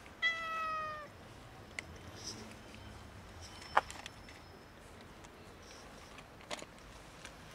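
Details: A domestic cat, one of a kitten and two cats begging for food, gives a single clear, steady, harmonic meow at the start, followed by quiet background hiss and a few scattered clicks and taps.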